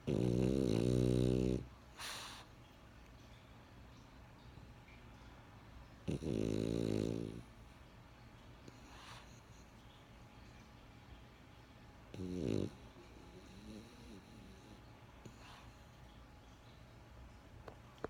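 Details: French Bulldog called Benjamin snoring in his sleep: three raspy, low rumbling snores spaced roughly six seconds apart, the last short and weak, with faint breathy exhales between.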